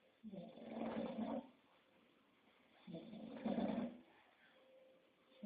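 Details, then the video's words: English Bulldog snoring: two gravelly, vibrating breaths about two and a half seconds apart, each over a second long, then a quiet wheeze before the next begins. "Bulldog Inglés ñoño Roncando"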